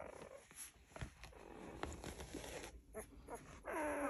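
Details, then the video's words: Golden Retriever puppies sleeping, wriggling, twitching and snuggling together; quiet rustles and soft snuffles, then a thin, high whimper near the end that slides downward over about half a second. "Golden Retriever Puppies making Cute Sounds, Sleeping, Wriggling, Twitching and Snuggling!"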